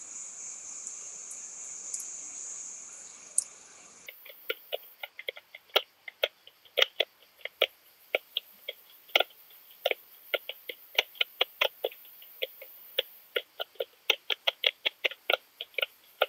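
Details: Long-tailed speckled bush-cricket (Leptophyes laticauda) singing at Rebici, Croatia, on 12 July 2022, heard through an ultrasound detector: after four seconds of steady high hiss come sharp dry clicks, repeated irregularly several times a second.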